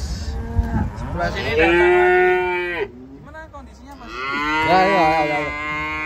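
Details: A cow unloaded from a truck lets out a long, loud, steady moo lasting over a second, pauses, then gives a second wavering bellow. Faint knocking sounds in the background.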